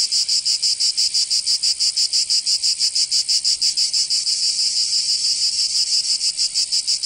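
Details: High, grating cicada song in Provence, southern France, during summer: rhythmic buzzing pulses about three per second, briefly smoothing into a continuous drone midway, no other sounds.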